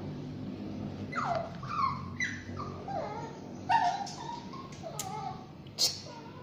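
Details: Bathing Shih Tzu and Yorkshire Terrier mix letting out short, soft whimpers roughly every half second to second, each dipping in pitch, interspersed with sharp clicks and faint voices.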